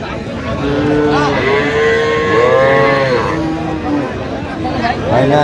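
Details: Sahiwal calves at a cattle market in Madaripur, Bangladesh: several short, arching, tonal moos follow each other, some overlapping, against steady crowd chatter and market noise.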